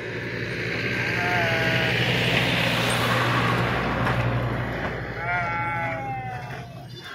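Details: Sheep being unloaded and jumping at Pebbair sheep market: scattered wavering bleats over a steady low engine-like hum and dense crowd noise.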